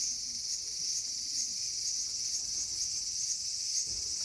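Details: High cicada buzz in a small garden on August 5, 2020, steady and shrill, with soft regular pulses about every half second and a faint low thump near the close.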